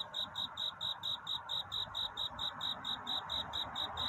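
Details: At night toward dawn, a cricket gives its love-seeking song as evenly spaced, ringing high pulses, roughly two each second, set against a soft continuous rushing hiss.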